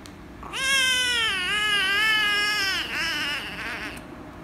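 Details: Loud, long wavering meow from an angry rescue kitten being petted, held for over two seconds with a wobbling pitch before trailing into a rougher tail.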